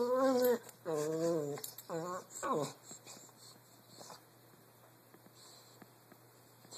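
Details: An English Bulldog playing with a Brussels Griffon gives four drawn-out, wavering whine-like calls, then goes quiet.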